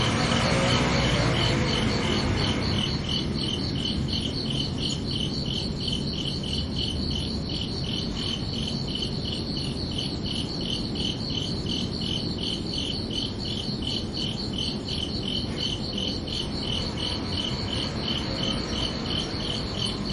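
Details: Crickets at night give a rapid, very regular train of bright high chirps, rising out of a brief rush of broadband noise at the start and continuing steadily to the end.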